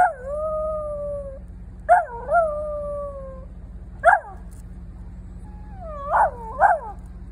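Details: A female Pembroke Welsh Corgi howls as a firetruck passes, in long wavering notes that slide downward, then breaks into short yelping howls; only the last part of the howling is captured.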